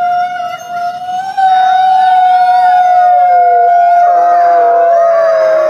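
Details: Grey wolves howling, described as more of a soft whining howl; a steady, long drawn tone with slight wavering pitch, overlapping voices joining and shifting in the second half.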